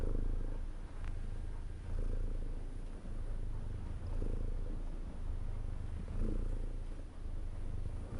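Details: Low, even purring from a domestic cat, the rumble pulsing with breaths about every two seconds, calm and unbroken.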